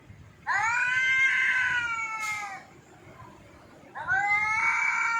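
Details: Drawn-out wailing yowls from Jaggu the cat: a two-second cry that bends up and sags downward, a brief click, then a second yowl starting near the end, over a quiet room.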